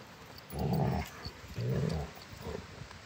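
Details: Rottweiler dogs at play, play fighting: two low, rasping growls about a second apart, then a shorter, softer growl.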